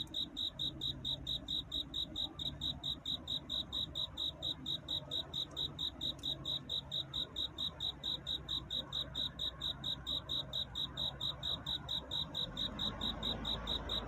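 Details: A cricket's courtship song at night into dawn: a long, very regular series of shrill pulsed chirps, close to four per second, steady throughout, over quiet low rumble that swells near the end.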